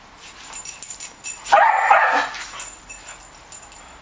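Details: Skooter, a two-year-old long-legged Jack Russell Terrier, chasing flies, lets out one short, sharp bark around the midpoint, set against a quiet room with faint background noise.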